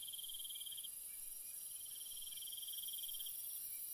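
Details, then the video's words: Night cricket chorus with bursts of fast, high-pitched pulsing, a short one at the start and a longer one midway, above a continuous, even, sizzling background of insect noise. "Cricket Sounds"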